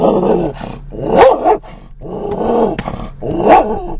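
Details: On a car ride in October 2010, a Scottish Terrier reacts to passing stimuli with loud, rough barks and growls. Three harsh bursts come roughly every second and a half over low vehicle rumble.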